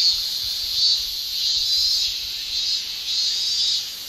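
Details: Male cicadas shrilling in a Japanese summer, their tymbal song a dense, unbroken buzz that swells and fades slightly over a few seconds, with faint low rumbles beneath.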